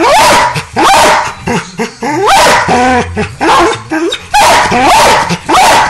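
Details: Pit Bulls nearly fighting over a laser pointer: loud rough barking in bursts mixed with arching whines and yips, several short pitched cries clustered midway, over a constant background hum.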